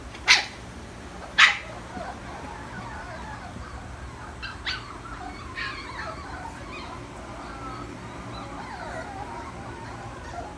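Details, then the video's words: Puppies left alone, crying: two sharp, piercing yelps a second apart open the recording, followed by fainter scattered cries and thin whimpering over a steady background hiss. "Puppies crying when left alone"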